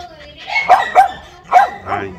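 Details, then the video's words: Pug, a newly gifted pet kept caged in front of a house while it gets used to its new home, barking at a person teasing it; four sharp barks spaced about a third of a second apart, with talking mixed in. "Tiếng Chó Sủa Giữ Nhà | Pug Dog Barkings"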